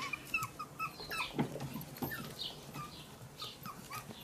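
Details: Miniature pinscher puppies, eight weeks old, lively and constantly on the move; soft high whimpers and squeaky yips come in short bursts over a faint background of shuffling and movement.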